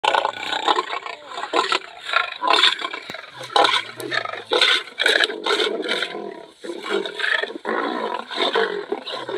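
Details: Hungry lions making harsh, raspy growls and snarls in continuous overlapping bursts, loud and rough throughout, with no clear pauses.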